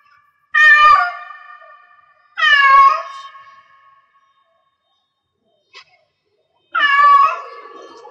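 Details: Cat in heat meowing: three long, loud harmonic yowls, each rising then falling and trailing off over about a second, separated by pauses of a few seconds, with a faint click between the second and third call.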